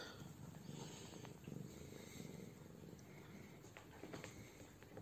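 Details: Siamese cat Meimei purring while receiving her light spanking and armpit rubs, a low, steady rumbling drone that runs unbroken through the whole stretch, with a playful kitten, Gato, interrupting nearby.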